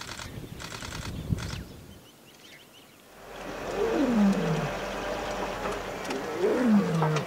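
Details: Lions roaring in Kgalagadi, heard on a wildlife photography safari: after a few seconds of clicks and quiet, two deep moaning calls slide downward, about three seconds apart, over steady background hiss.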